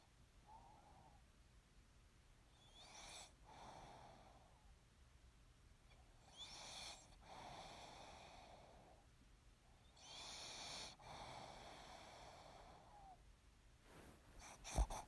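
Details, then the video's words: Pug sleeping and snoring. Slow, drawn-out wheezing snores repeat about every three to four seconds, each with a raspy whistling edge. A sharp knock is heard at the end. "Snoring Pug"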